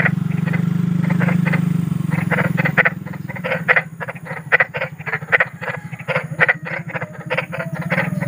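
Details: Large frogs calling outdoors: a steady low drone dominates the first seconds, then loud rasping croaks come through in quick irregular runs, several pulses per second.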